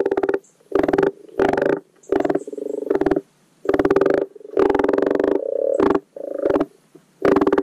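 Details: Spring spawning call of common frogs at a garden wildlife pond: loud, rough, pulsed croaks in bursts of about half a second to a second, repeated almost without pause and overlapping in a dense, rattling chorus.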